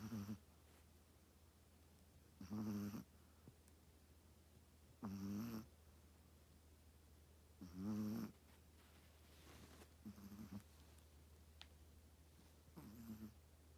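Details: Hazuki, a Chihuahua, snoring while asleep: rasping, nasal snore bursts about half a second long return roughly every two and a half seconds. A steady low hum runs beneath them.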